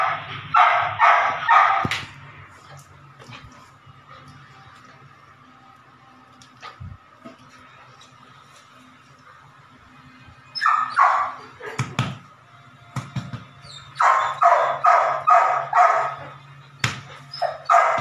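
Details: Nine-week-old Belgian Malinois puppy named Evita during ball and prey drive training, giving bursts of rapid, high yappy barks in quick runs of five or six, separated by quieter pauses with faint rustling and a low background hum.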